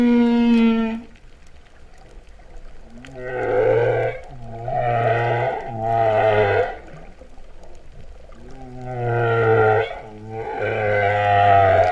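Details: Humpback whale singing underwater at Vava'u, Kingdom of Tonga, September 2015, its song likened to a cow's moo. A brief high harmonic tone precedes a run of deep, pulsed, grunting moans delivered in short groups with pauses.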